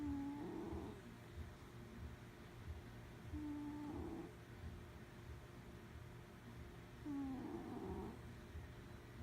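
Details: A sleeping cat snores indoors, each drawn-out, faintly tonal breath swelling and fading roughly every three and a half seconds, three snores in all over a low, steady room hum.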